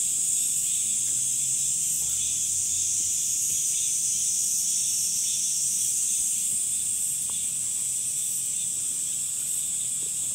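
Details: High, seamless buzzing of summer cicadas continues without pause, a droning shimmer at constant volume, with a soft low rumble in the background early on.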